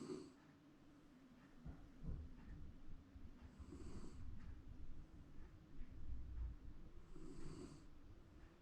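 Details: Round Shiba Inu taking a comfortable afternoon nap at home, possibly dreaming; soft low rasping snores rise and fall in slow breaths, with faint hissy exhalations about every three to four seconds in a quiet room.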